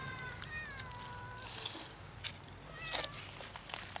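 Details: Black and ginger-white cats, formerly almost feral, acting cute for food: a long wavering meow opens, a shorter meow follows near the three-second mark, with rustles and clicks between.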